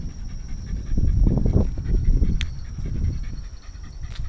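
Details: Shiba Inu panting at home during a pet sitter's house visit in the Yaizu and Fujieda area of Shizuoka, Japan, August 2018: fast, breathy, low rhythmic puffs, roughly three per second, loudest in the middle, over a faint steady background hum.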